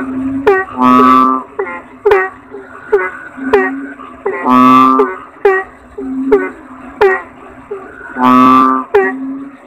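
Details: Toad chorus-like sequence: three long, harsh, droning croaks spaced around three to four seconds apart, surrounded by rapid sharp descending chirps and softer sustained tones.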